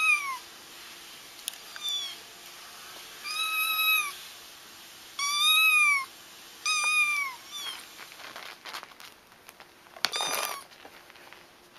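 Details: Kittens crying, a recording meant to help trap a feral mother whose kittens were already found; about seven high, arched, harmonic mews spread over twelve seconds, some in quick pairs, with a scratchy rustling burst near the end.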